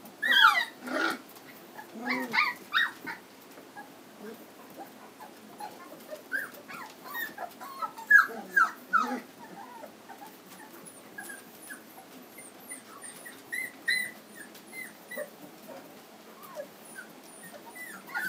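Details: Litter of three-week-old Standard Poodle puppies, home raised in Lodge Grass, Montana, with scattered squeaks and whimpers, louder at the start, then a long stretch of faint, thin high peeps from several pups.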